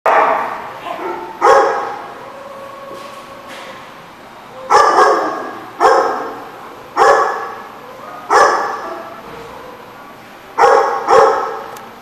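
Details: Dog barking on September 26, 2014: loud, harsh single and double barks in bursts every one to two seconds, with quieter gaps between.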